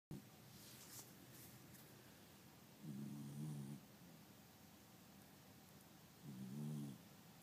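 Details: Pet dog asleep with eyes open, snoring loudly: two low rumbling snores about three seconds apart, each lasting under a second, over a quiet indoor background hiss.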